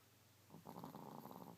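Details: Chico, a pet Chihuahua, snoring while asleep: a raspy, rattling breath with a low buzz that starts halfway through and holds steady to the end, over a faint steady hum.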